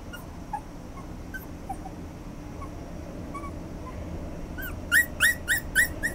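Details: Toy Poodle and Yorkshire Terrier mix dog, quiet background with faint scattered chirps, then about five short high whimpers in quick succession near the end, each slightly falling in pitch.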